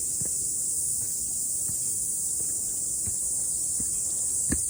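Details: Cicadas on a mountainside after rain on a morning walk: a steady high shrill drone runs throughout, with irregular soft footsteps and a louder thump at the end.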